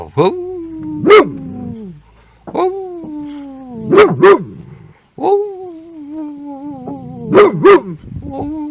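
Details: Boxer dog acting as a car alarm while guarding a car: long drawn-out tonal whines that sag slightly in pitch, broken by pairs of sharp barks, repeating three times.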